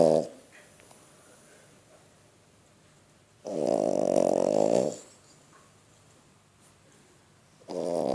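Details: A female French Bulldog, 11 months old, asleep and snoring loudly. Harsh, vibrating snores come at the start, at about mid-clip for over a second, and again at the end, with quiet gaps of roughly three seconds between them.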